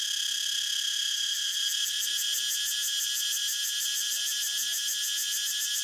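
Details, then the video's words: Continuous shrill cicada buzz, dense and unbroken, with a rapid regular throb in the highest tones across the whole stretch. "Cicada sound so natural"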